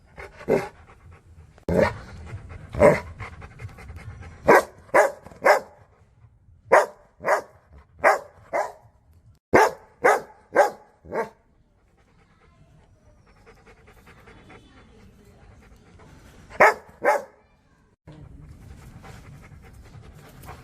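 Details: Rottweilers barking at the camera in irregular runs of sharp barks, roughly two per second, a quieter stretch with panting and background noise, then a final pair of barks.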